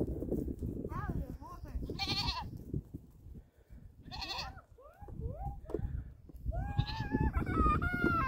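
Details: Little goats jumping on a llama's back in Canada give several short rising and falling bleats, some quavering, scattered through the clip, with background thuds and a person's voice.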